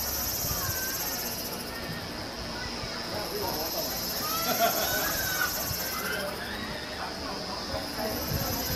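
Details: Chorus of Kaempfer cicadas at a Namasia, Kaohsiung campsite, late afternoon of 26 May 2018, captured on a Canon PowerShot SX720 HS: continuous high-pitched droning with an upper shimmer rising and falling in waves, plus faint scattered chirps and low background rumble.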